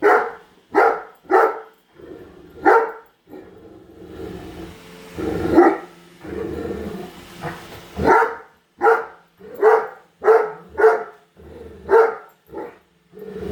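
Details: Female Great Dane barking at a new Roomba robot vacuum inside the house; rapid runs of deep barks, broken midway by a stretch of hissing mechanical noise and lower growly sounds, then steady barking resumes.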